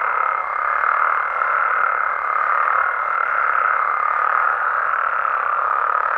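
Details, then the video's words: Many Mexican frogs and toads calling together at night, forming a continuous buzzing croak chorus, joined by a faint steady higher-pitched tone lasting most of the clip. "Mexican Frogs & Toads Sounds"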